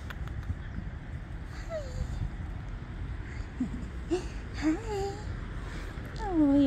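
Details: Stray cats and kittens living by the ocean in Portugal, cared for by a local rescue group, meowing while being fed: several short, wavering cries that fall in pitch, the last one loudest, over steady wind and low rumble.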